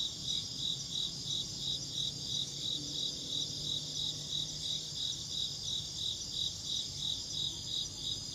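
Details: Insect chirping: rhythmic high-pitched pulses repeating steadily near three per second above a continuous shrill buzz, with a quiet low hum beneath.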